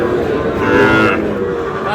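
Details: Sahiwal bull calves lowing at the Aftabganj cattle market in Dinajpur, Bangladesh, on 4 August, as trading begins; a single drawn-out, tonal moo amid a steady hum of market noise and voices.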